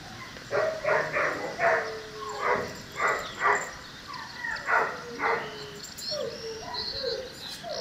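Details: An 11-week-old female Cane Corso puppy whimpers and yelps repeatedly, short high whines coming about every half second, some drawn-out thin tones between.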